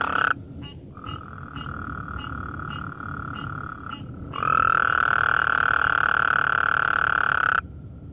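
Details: A Gulf Coast toad calls at night with long, steady, buzzy trills, the second louder and lasting several seconds; several toads were out and a tree frog was nearby.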